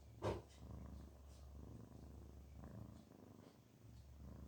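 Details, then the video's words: Garfield, a cat, purring contentedly; a brief sharp knock near the start, then a quiet low rumble pulsing in gentle breath-paced waves. "Garfield makes this sound when he feels relaxed and happy. purr purr."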